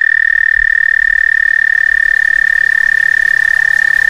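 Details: A frog that stayed several days on a back stoop in summer gives its mating call to a mate: a steady, high, buzzing trill held without a break.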